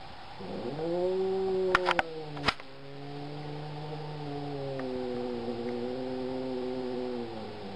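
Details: Black domestic cat making one long, moaning yowl that swells, dips and holds steady for several seconds, broken by brief clattering knocks near the start.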